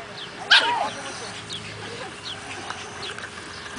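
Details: Seven-week-old whippet puppy at a house, recorded June 30, giving one short, sharp high yip that bends downward near the start, then only faint room noise.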